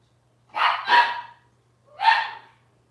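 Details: Robin's Cavalier King Charles Spaniel puppies, filmed indoors on a kitchen cam, give a loud double bark followed by a single shrill yap about a second later, all raspy and high-pitched, with silence around them.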